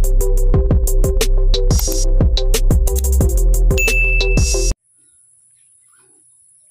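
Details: Electronic music with a steady drum-machine beat and ringing tones plays for nearly five seconds, then cuts to silence.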